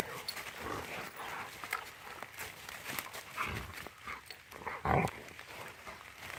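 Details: Wet Rottweilers playing with a stick outdoors; scuffling, panting noises and splashy movement lead up to one loud, harsh bark near the end.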